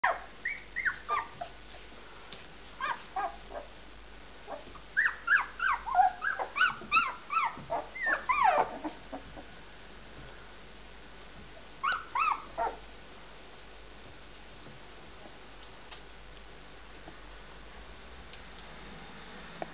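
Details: Three-week-old Bearded Collie puppies: bursts of high, short squeaky whimpers and yips, many in quick series around five to nine seconds, another cluster near twelve seconds, then quiet.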